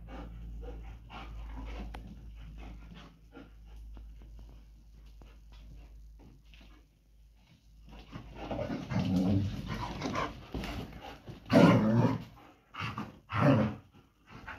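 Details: German Shepherds fighting while mating and breeding: steady low panting opens, then several loud, rasping growl bursts swell and fade in the second half, each lasting about a second.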